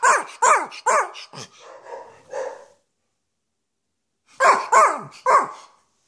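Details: A spoiled male Schipperke gives his typical little "cough bark": short, sharp, slightly hoarse barks in quick runs of three, then pauses.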